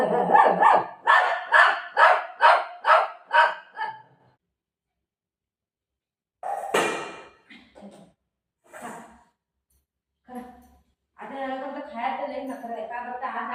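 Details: Golden retriever and shih tzu fighting over food, Buzo disliking egg rice: about seven sharp barks fire roughly twice a second for four seconds, then sporadic yelps and short calls mix with a woman talking in Marathi.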